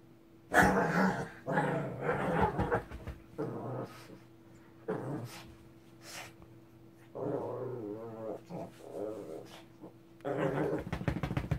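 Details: Angry Shih Tzu named Ssong gives a run of throaty growls, some rising into snarling barks. Uneven bursts of one to two seconds follow one another over a constant faint hum.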